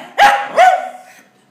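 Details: Bono, a pet dog said to be smiling and almost talking, gives two short, high, tonal barks about 0.4 seconds apart, the second softer and trailing away, amid a person speaking Portuguese before and after.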